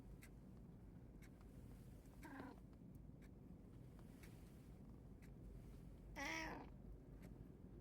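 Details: One of three house cats, tabby, Munchkin and Abyssinian, recorded 28 August 2024, gives a faint short meow and then a louder, brief meow four seconds later over steady room hum, with a person speaking Japanese afterward.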